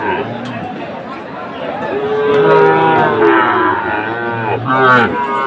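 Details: Sahiwal cattle at a Chattogram cattle market, Bangladesh, 7 September 2024: a long, drawn-out low moo swells in the middle, then a shorter, higher bellow near the end, with market crowd noise behind.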